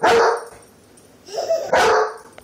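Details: German Shepherd guarding babies and children, giving two loud barks about one and a half seconds apart, with a softer vocal sound just before the second.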